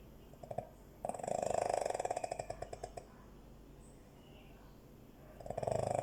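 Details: Dog asleep and snoring, one harsh fluttering snore of about two seconds built from rapid pulses that fade out, then a quiet pause before the next rough snore starts at the end.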